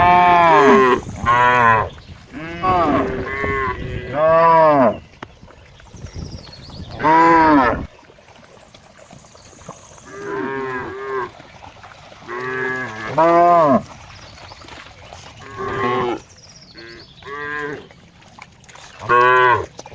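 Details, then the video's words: Cow mooing in a series of short, harmonic-rich calls, each about half a second to a second long, in uneven bursts across twenty seconds with quiet gaps between. "cow funny sound"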